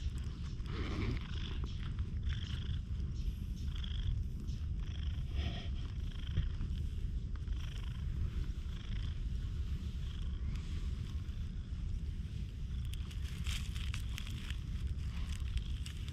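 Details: Stray black-and-white tuxedo cat met outdoors on a dry-air day, purring while brushed with a cat comb, filmed on a GoPro; a steady low rumbling purr runs throughout beneath scratchy, rhythmic brushing strokes.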